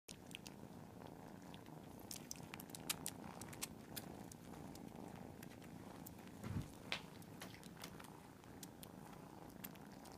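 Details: Several cats purring together make a soft, continuous low rumbling texture, broken by faint clicks and small rustles indoors.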